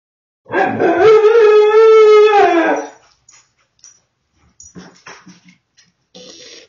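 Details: Pet husky caught indoors by a security camera while being naughty, vocalising when caught: one long wavering howl-like 'talking' call of about 2.5 seconds with rich harmonics, followed by faint clicks and quiet household sounds.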